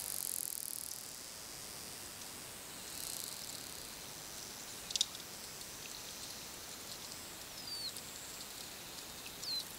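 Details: Underwater sounds of wild bottlenose dolphins communicating: brief high whistles sweeping upward toward the end, a single sharp click burst in the middle, all over a steady crackling sea hiss.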